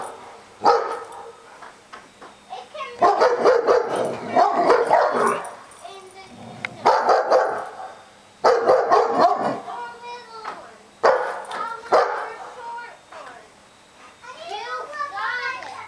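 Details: Several dogs barking in February 2008: long runs of loud, overlapping barks in bursts separated by short quiet gaps, with a thin whining or vocal sound near the end.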